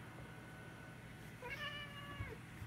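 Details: British cat begging for olives indoors, a short harmonic meow rising then falling around the middle of the clip over a quiet room hum.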